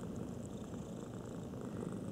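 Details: Low, even rumble of a purring cat heard at close range, a constant throbbing murmur lasting about two seconds.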